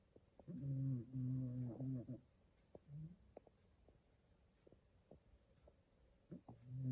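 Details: Shiba Inu dog snoring indoors while asleep. Low, throaty rumbling snores come in drawn-out bursts: a long one at the start and shorter ones later. Faint clicks and a steady high electrical hiss sound between them.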